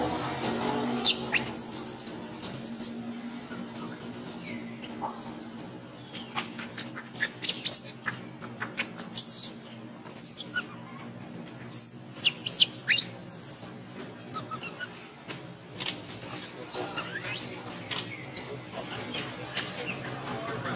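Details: Baby monkey Alba, hungry for milk while its mother ignores it, cries loudly in a series of high, arching squeals and short shrill bursts spread through the recording.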